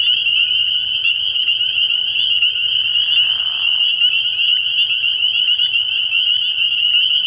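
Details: Dense chorus of spring peepers calling from a frog pond on an early spring night, steady high-pitched peeping blended into one ringing tone, interrupted midway by a brief softer rushing sound.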